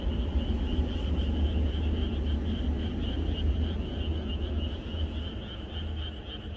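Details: Rural night before rain, with a chorus of frogs calling together as an even, throbbing trill of overlapping croaks that fades slightly toward the end over a low droning background.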